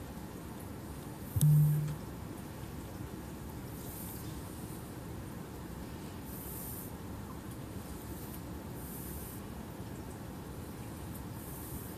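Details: Low steady rumble with faint hiss throughout and one brief knock near the start; no animal voice is heard.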